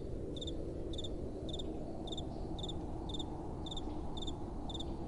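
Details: Crickets at night chirp in steady, evenly spaced high double-pulsed notes, about two per second, over a constant low rush of soft wind.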